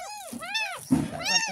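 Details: Tiny ten-day-old kitten rescued from a roadside gutter cries during its first bath, giving three quick rising-and-falling mews in a row with soft splashing and scrubbing underneath.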